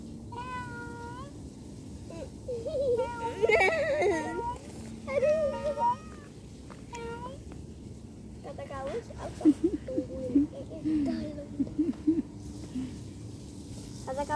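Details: House cat meowing, framed around separation being hard. A series of short wavering meows and chirps is followed by lower, trilling murmurs against a steady background hum.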